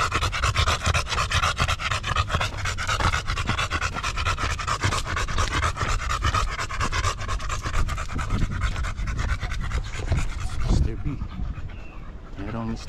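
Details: Buding, a Golden Retriever, panting in quick, steady breathy bursts that run almost unbroken for about eleven seconds, over a faint tonal hum, before fading out near the end.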